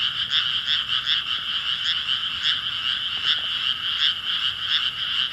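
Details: Chorus of frogs croaking in unison, a constant grating drone broken into loose pulses, roughly two and a half per second, steady throughout.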